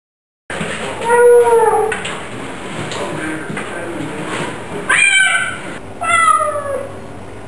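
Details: Pet Bengal cats meowing at home: a long arched meow near the start, then two shorter, higher, bending meows later on, over a low steady household hum.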